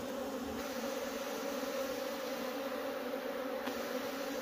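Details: Swarming wild honey bees around a nest being harvested for honey give a thick, steady buzzing drone. The loud hum holds level from start to finish with no gaps.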